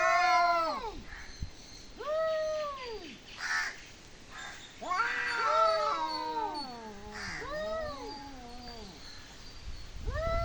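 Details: Cat making odd noises, giving several arched meows that rise then drop, with a longer wobbling yowl that slides downward in the middle.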